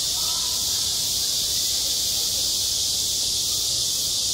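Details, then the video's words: Cicadas singing at a school playground in high summer, a dense, unbroken high-pitched hissing drone that holds steady and loud throughout, with faint low rumbling beneath. "한 여름 운동장에서 매미가 울고 있다 - 여름의 소리, 학교 종소리, 매미 울음소리"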